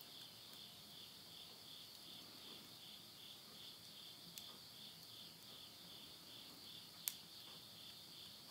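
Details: Countryside insects in Tottori, Japan, singing at midnight in September 2020 as summer ends: an unbroken shrill trill that throbs in quick pulses, with occasional loud crackles from a wood fire in a stove.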